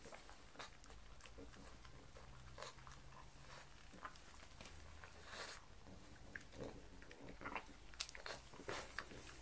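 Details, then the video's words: Mars the pug eats croutons and bacon for breakfast in a small room. The track is dense with crisp crunching and biting clicks, steady irregular chewing and low snuffling breaths underneath. "ASMR pug eats, pug sounds"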